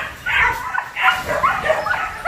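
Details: A very large 47 kg Belgian Malinois at a kennel in Ho Chi Minh City, filmed during training: a quick run of short, yelping barks with bent, rising-and-falling tones packed into about two seconds, ending with a sharp yip.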